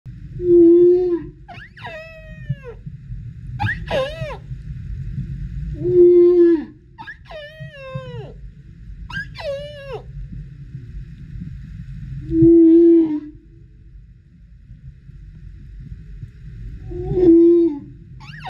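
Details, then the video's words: A male humpback whale singing below swimmers off Tonga gives low, drawn-out moans alternating with swooping, wavering cries, in hope of attracting a mate. "Singing humpback whale"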